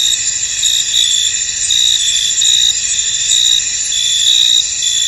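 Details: Crickets chirping in a misty field, many insects forming a steady high shimmering chorus with irregular brighter chirp bursts, no other distinct sounds.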